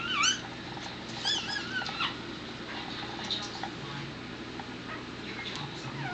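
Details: High, wavering squeals, two close together in the first two seconds, then fainter cries, as a tired miniature dachshund mother delivers her fifth and final puppy on an April 2009 evening, the pup stuck and helped out by hand.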